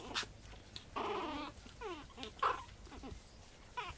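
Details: One-month-old Japanese Chin puppy indoors giving high, wavering whines: a half-second quavering cry, then several short squeaky yelps sliding downward, interspersed with faint clicks and shuffling.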